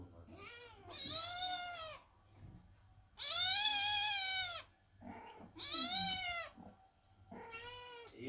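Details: Worried kittens sit under the door meowing loudly while their mother Chloe is giving birth; four loud, drawn-out meows, each a second or more, high and bright, separated by brief pauses with a faint low hum.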